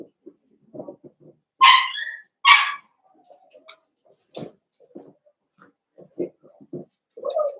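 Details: A litter of five blenheim Cavalier King Charles Spaniel puppies, born at New Year's, inside a home puppy pen. Two loud, high yipping barks open the sequence, followed by a string of short, soft clicks and whimpers.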